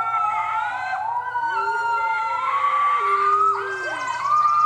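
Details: Six-week-old red wolf pups howling near their den at the Wolf Conservation Center, one pup venturing outside; long sustained tonal howls with smooth rising and falling pitch, several voices overlapping in a high, squeaky chorus with sliding glides.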